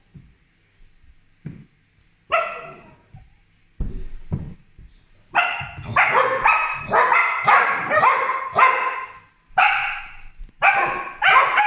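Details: Two pet corgis barking at a household helper: sharp, harmonic barks in irregular bursts, a few isolated yips early, then a rapid run of loud barks roughly every half second.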